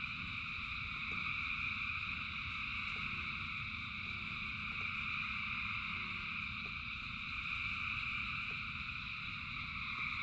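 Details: Thousands of frogs singing in rain: a dense, unbroken chorus of overlapping high trills forming steady layered bands, with a low rumbling wash of rain underneath and faint scattered drips.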